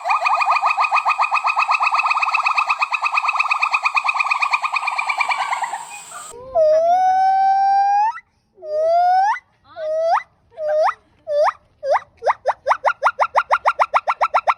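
Monkey calls: a long buzzy tone, then rising whistled hoots that speed up into a rapid series.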